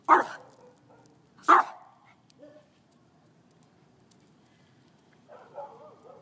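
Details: Scruffy the dog, upset by ants in a lawn, gives two loud sharp barks about a second and a half apart, then a short quiet sound and a low whine-like murmur at the end.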